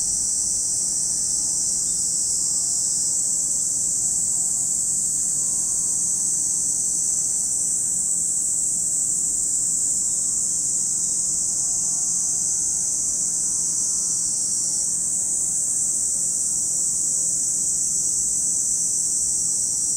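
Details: Cicadas calling at Lake Kamo in Sado City, Niigata Prefecture, Japan: a dense, unbroken high-pitched buzzing drone that holds steady for the whole stretch, with faint wavering tonal sounds low underneath.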